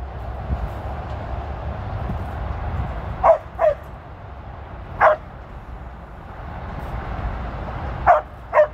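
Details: Five crisp barks from Tir, a female Border Collie out with sheep on her 13th birthday, 23 February 2023, grouped as a pair, a single bark, then another pair, over low outdoor rumble.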